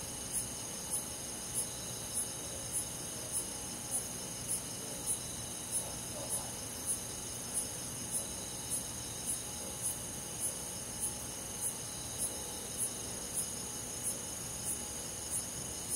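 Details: Night forest in summer with a cricket chirping steadily, short bright pulses evenly spaced about every 0.6 seconds, layered over a constant high insect buzz and soft low rumble.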